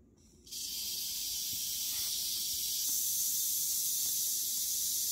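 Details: Western diamondback rattlesnake, held while it kills a mouse almost instantly with its venom. After a half-second hush, a dry, hissing rattle starts abruptly and keeps buzzing at an even, high pitch to the end.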